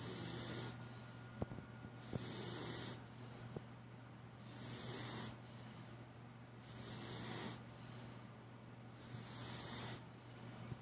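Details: Sleeping cat snoring softly, rhythmic noisy breaths roughly every two seconds, hissy inhalations alternating with quieter pauses over a steady low electrical hum.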